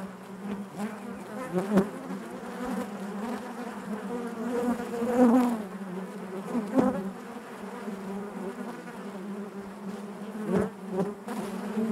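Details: Inside a honey bee hive, many bees buzz in one continuous low drone with shimmering overtones; short sharp clicks and louder surges recur every few seconds as individual bees brush past or move across the comb.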